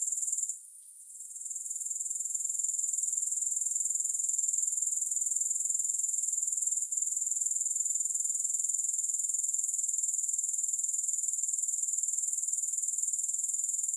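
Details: Soothing grasshopper sounds without music: a sharp, high, rapidly pulsing trill. It drops out briefly near the start, then runs on evenly, with one faint click partway through.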